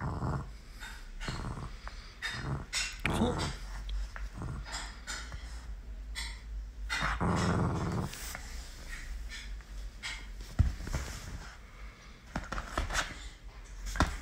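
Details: Miniature Pinscher puppy Galu during play, giving low intermittent growls, a longer rumbling one mid-way, amid tapping, scuffling and clicks in a small room.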